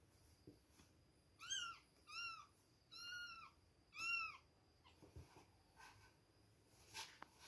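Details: Two-week-old baby kittens at milk time, giving four high, arched, harmonic-rich meows spaced under a second apart, each rising then falling, followed by faint rustling and small clicks.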